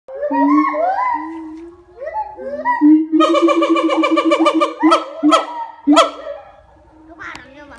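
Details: A siamang at TWSL, Probolinggo, gives loud, wavering hoots that rise and fall, then a fast pulsing series and sharp barks.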